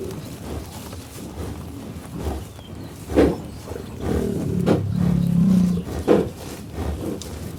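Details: Bison near Pawhuska on the Oklahoma tallgrass prairie: scattered sharp sniffs, then a drawn-out low growling grunt lasting about two seconds, followed by another snort, against quiet open-field ambience.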